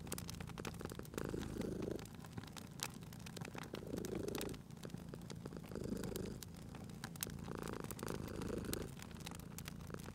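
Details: Sleeping pet cat at a crackling hearth in cozy spring ambience: deep rhythmic purring, each breath cycle lasting roughly two seconds, with frequent bright clicks and pops from the fire layered over the rumble.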